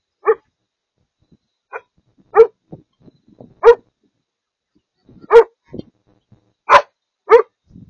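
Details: Maremma Sheepdog pups learning from an older dog: loud single barks spaced irregularly, roughly one to two seconds apart, with small soft yips and grunts between them.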